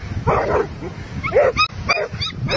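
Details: Dogs in a fight, with a run of sharp yelps and harsh barks, some high-pitched squeals, amid scuffling noise.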